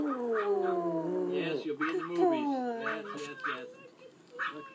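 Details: A male pet Pomeranian howls like a wolf: a long, sliding, tonal wail that slowly falls in pitch over about two seconds, then fades while a person speaks and praises him.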